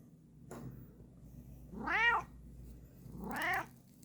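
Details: A Bengal cat, known as a talking cat, gives two long, wavering meows, each swelling upward and sliding back down, about a second and a half apart, after a brief fainter sound, indoors while being fitted with a lion-mane wig.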